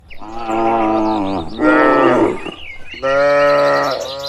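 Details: Dozens of tame cattle walking home to their shed on a warm evening along a tree-lined village road. Three long, loud, harmonic moos, each about one to one and a half seconds long, with short gaps between them.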